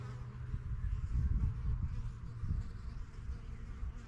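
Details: Honey bees bustle around their yellow backyard hive, one of a first few started in spring 2023. A loud, deep, fluttering buzz swells near the start, as if bees pass close, then eases into a lower drone.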